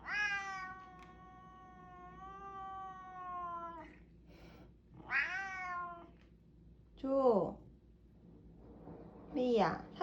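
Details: Domestic cat indoors meowing to ask for more food after already finishing its wet food; a long drawn-out falling meow, then several shorter rising-falling meows, with a person talking back to it between calls.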